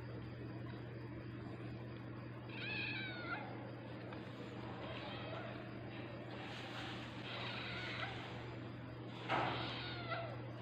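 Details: Tabby cat in labour while giving birth, giving a short drawn-out meow with a bending, wavering pitch, followed by softer cries, over a steady low electrical hum, with a sharp knock near the end.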